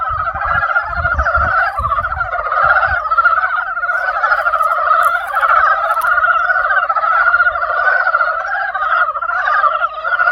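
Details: Frogs calling in spring, a clear, full chorus of fast pulsed croaks running without pause in two overlapping pitch layers, with low thuds early on and otherwise little background noise.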